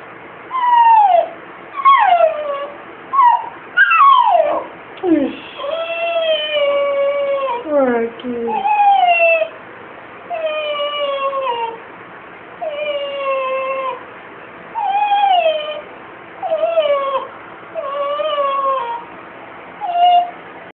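A Basenji cries in long, sliding, yodel-like whines, each bending down in pitch, repeated every second or two.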